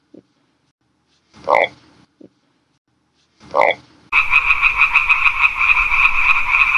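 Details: Frog recorded in its natural habitat: two short, separate croaks with a bright upper tone, then a dense, continuous chorus of many frogs trilling steadily to the end.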